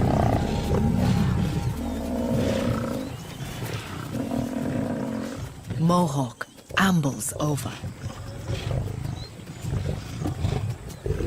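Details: Lions from two rival prides in conflict, giving deep, rough, sustained growling roars with a throaty rumble for about five seconds, then a brief stretch of a man's narration before lower rumbling resumes under background noise.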